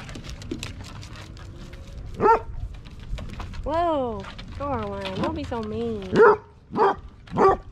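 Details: Basset hound living with three cats, giving short sharp barks and a series of rising-falling whining howls, with a person talking in the background.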